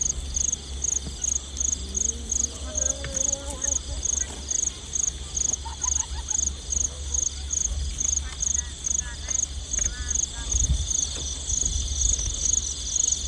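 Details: Field crickets at night in the countryside, recorded while out catching crickets after dark; high, sharp chirps pulse steadily several times a second through the whole stretch, over soft human voices and a low rumbling hum.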